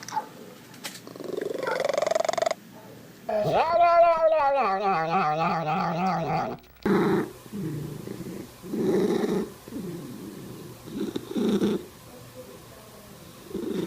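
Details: Domestic cat making unusual sounds: a long wavering, warbling yowl of about three seconds, followed by a run of short, muffled chirping calls with noisy gaps between them.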